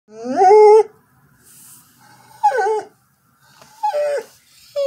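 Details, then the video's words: Female Border Collie singing with an unknown prompt: three tonal, harmonic howls, the first swelling and then dipping, the next two shorter and falling in pitch, separated by near silence. "the border collie sings the melan"collie" song of her people"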